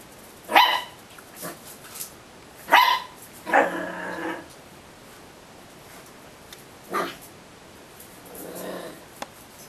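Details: Homeless puppy giving a few short sharp barks and yips spaced a second or two apart, with quiet gaps and faint background hiss between them.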